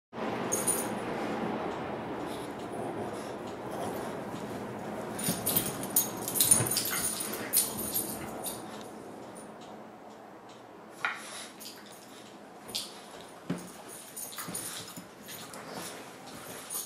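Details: Two dogs at play, a 3-year-old Basset Hound mix and a 4-month-old French Bulldog puppy, make soft whines, grumbles and snuffles in rapid, uneven bursts, with scuffling noises.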